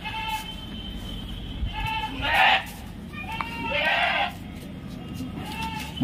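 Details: Home-raised Punjab Barbari dairy goat, a female of unique colour giving over one and a half litres of milk, kept near Naihati, India; several short wavering bleats with muffled noise and a man talking in between.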